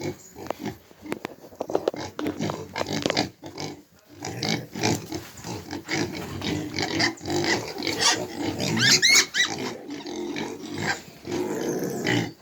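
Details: Farm pigs in Jamaica, a young pig among them, making dense, harsh squeals and rough grunts that overlap almost without pause, rising into loud shrill bursts near the end.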